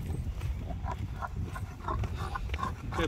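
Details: Bob, a French bulldog, sits in a dog stroller on his first moving outing, clipped to its built-in leash, giving low, rough snorting grunts that pulse through three seconds amid rustling and handling noise.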